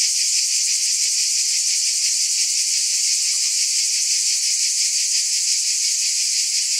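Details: A chorus of cicadas gives a continuous shrill hiss with a rapid, slightly uneven throb running through it and no other voices or noise.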